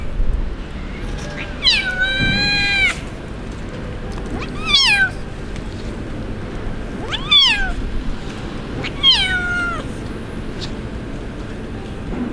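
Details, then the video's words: Kitten abandoned by its owner, crying at a stray-cat shelter area: four high, harmonic meows, each rising then falling, spaced about two to three seconds apart over steady background hum. "Abandoned Kitten Crying At The Street"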